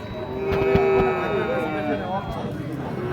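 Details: Sahiwal bull calves at the Ambari cattle market in Parbatipur, Dinajpur, Bangladesh, on 26 March; a drawn-out tonal moo with stacked overtones holds steady for about half a second, then wavers, amid market chatter.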